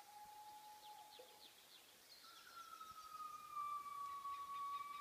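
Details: Gibbons' morning song in Bokeo park, Laos: long, pure whistled notes, one steady tone followed by a higher, rising sustained note.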